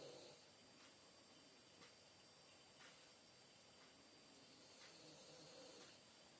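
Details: Sleeping French Bulldog, Bonita, gives quiet, breathy snores, one at the very start and a longer drawn-out one about five seconds later, against constant faint hiss.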